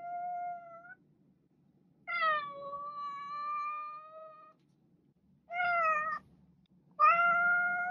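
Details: Domestic cat meowing: four separate meows, the first short and level, the second long and drawn out, the last two brief and slightly falling, with quiet pauses between them and a faint low hum in the background.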